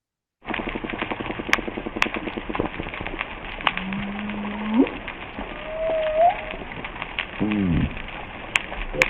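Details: On a reef, fish chatter in rapid pulses and give low grunts at about 2 kHz and below, while a passing humpback whale sings its moaning song and snapping shrimp pulse higher up.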